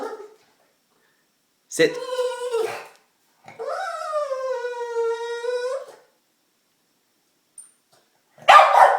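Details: Excited and anxious for a treat, the pet dog Diesel gives two long tonal whines, the second rising then easing into a steady, slightly falling note. A brief noisy burst ends the clip indoors.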